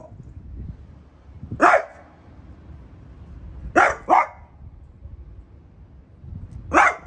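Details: French Bulldog Piper, a household pet, confronts a new artichoke plant with sparse loud barks: one single, a quick pair, then another single after pauses.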